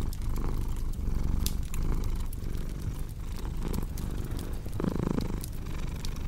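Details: Domestic cat purring near a cozy fireplace; the rumbling purr pulses clearly with its breathing, a slightly fuller burst near the end, accompanied by scattered crisp crackles of burning wood.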